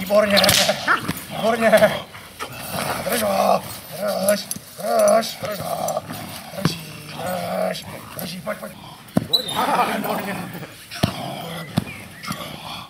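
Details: Czechoslovakian Wolfdog during protection training; deep barks repeat roughly once a second in a steady series, with a person's voice and handling noises in between.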